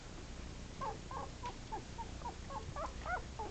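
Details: Eleven-day-old Sheltie puppies, eyes not yet open, wobbling together: a quiet run of brief high squeaks, roughly three a second, over a low steady background hum.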